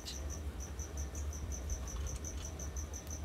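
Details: Cricket chirping in the background of a home pet recording, a thin high chirp repeated steadily about five times a second over a low, constant rumble.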